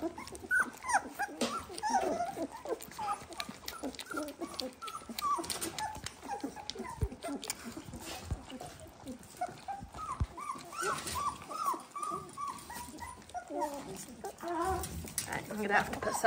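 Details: A litter of 18-day-old Dalmatian puppies, not much stressed and eager to feed, keeps up a steady chorus of short upward-sliding squeaks and whines, many overlapping, with clicks and rustling throughout.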